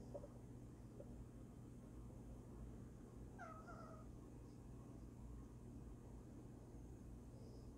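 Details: Sleeping female domestic cat gives one short, soft mew-like chirp with a quick downward-then-level tone partway through. Otherwise only a quiet, steady background hum.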